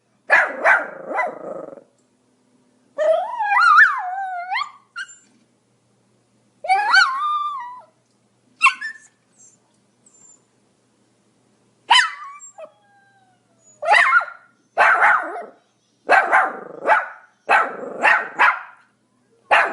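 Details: Pomeranian dog giving high whining, squealing yelps with rising and falling pitch, then a run of sharp rapid barks in quick succession.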